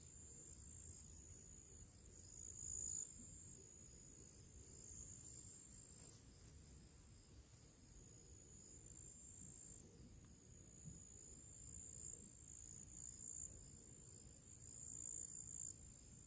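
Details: Summer crickets sing their pre-evening song in nature, a thin, high continuous trill with quick pulsing beats rising and falling in loudness, over a quiet low rustling background.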